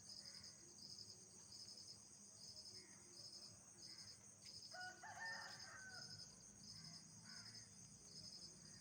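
Night insects keep up a dense, high-pitched chorus of steady trills and pulsing chirps.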